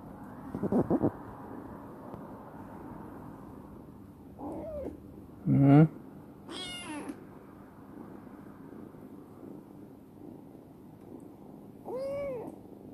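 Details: Former stray black female cat Chibikuro, rescued and grown affectionate, gives scattered short meows and a squeaky call among clunks and rustling in a warehouse.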